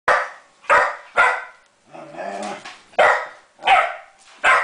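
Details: Female Springer Spaniel barking indoors at a copper pot that won't give her ball back; sharp barks in a rapid burst of three, a short growly whine, then three more barks spaced about three-quarters of a second apart.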